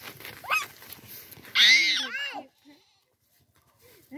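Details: Young goats with a small child at play: one loud, harsh, bright bleat lasting under a second and falling away at the end, preceded by faint chatter and followed by a short quieter cry.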